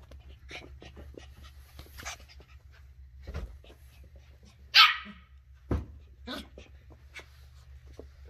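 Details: Ollie, a 10-week-old female Shetland Sheepdog puppy, explores new things indoors. She gives a single sharp, bright bark midway, with a softer yap after it, amid small clicks, taps and movement noises in a quiet room with a low hum.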